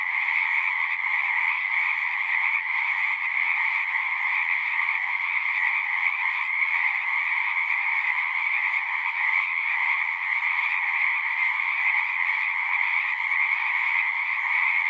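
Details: Frogs singing at a pond in a horse pasture, recorded with a Zoom 6: a dense, unbroken chorus of high trilling calls that overlap into a steady shimmering wall of sound, with no pauses and no other noises standing out.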